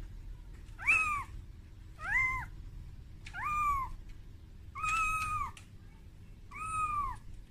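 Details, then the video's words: Frightened kitten calling for its mother on its first trip out of its room, giving five loud, harmonic-rich meows about every one and a half seconds, some with a bent, wavering pitch, over a faint steady hum. "Suara Bayi Kucing Menangis"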